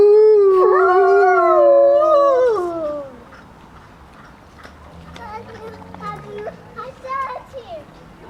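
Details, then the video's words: At Grodno Zoo, two wolves howl in overlapping steady tones that bend downward and fade after three seconds, then softer distant howls and scattered yips mix with people talking. "Волки воют в Гродненском зоопарке. Wolves howl at Grodno Zoo"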